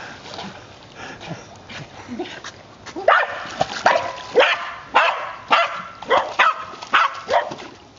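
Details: Five-year-old female white terrier swimming after a ball thrown into the water, barking in a rapid series of sharp yaps about twice a second over the second half, with splashing throughout.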